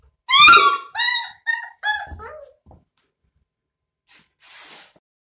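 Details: A bottle-fed puppy, 22 days old, cries in a run of four loud, harmonic squealing whines, each sliding downward. Quieter squeaks follow, then a pause and a soft rustling breath.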